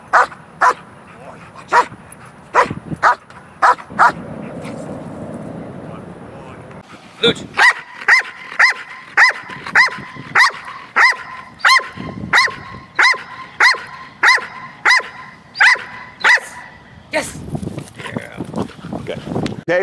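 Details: Two protection dogs, taught to bark on cue at a ball in the first stage of alert and protection training, give sharp barks in quick bursts, about one every half second, with a steady high tone and a trainer talking between them.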